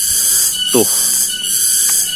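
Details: Cicadas (tonggeret) in a hillside village, Kampung Sindanrasa, Tanjungsari, Rajadesa, Ciamis, West Java, Indonesia, on an afternoon: a steady shrill high drone throughout, swelling gently, with one brief descending squeal near the start and a faint hum beneath.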